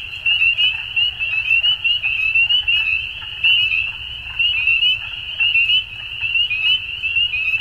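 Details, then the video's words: Dense chorus of frogs at spring dusk in Ontario, Canada: high, thin, upward-sliding peeps from many callers run together continuously, volume rising and falling in short waves over a low rumbling background. "Frog Sounds At Dusk"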